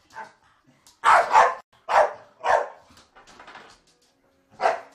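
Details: Staffordshire Bull Terriers play fighting: loud gruff barks and growls come in spaced bursts, with quieter rumbling between them and a final bark near the end.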